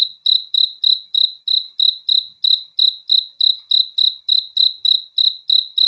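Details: High, ringing cricket chirps on a night recording, evenly spaced about three per second with a slight fade after each pulse; no other sounds present.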